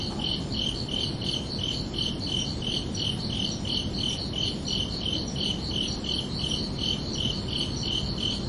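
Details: Crickets chirping under a night sky on a summer evening: steady high pulsed chirps, nearly three per second, over a constant low rumbling background.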